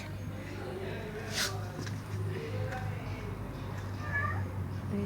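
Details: A female domestic cat gives soft, drawn-out meows to a male cat perched up above, over a person's talking and a low hum.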